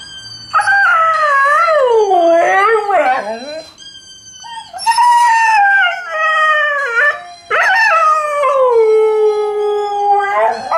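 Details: Alaskan Malamute and Husky named Tikaani and Wolf howling together in a Dear Tonka performance: long tonal howls sliding down then rising, harmonics stacked, loud bursts separated by brief quieter gaps.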